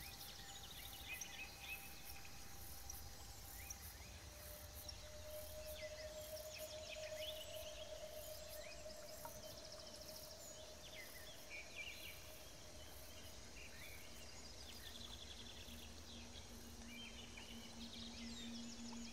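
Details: Crickets and katydids, 1 to 8 cm long, recorded close up: very high, evenly pulsed chirping runs throughout, over scattered bird chirps in the middle range and steady low tones.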